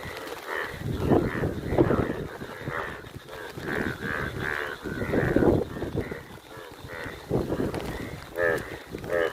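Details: Indian yellow bullfrogs calling in the rain, deep moo-like croaks in quick repeated bursts, several voices overlapping.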